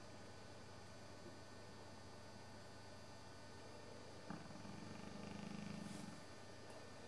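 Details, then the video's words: Old English Bullmastiff named Sabre snoozing on a Sunday afternoon, flapping his jowls: a single low, rattling snore of about two seconds follows a quiet stretch, then the room falls silent again. "Sabre the Snoring Bullmastiff"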